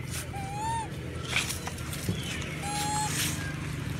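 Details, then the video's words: Hungry monkeys crying for food give two clear, tonal, slightly rising cooing wails a couple of seconds apart, with faint higher calls, scattered clicks and a steady low outdoor hum behind them. "Crying loudly..! Many monkey is crying loudly hungry food"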